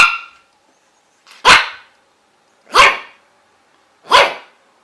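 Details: Single dog giving sharp, loud, bright barks, a brief bark at the start, then three clean barks spaced evenly about 1.3 seconds apart with silence between.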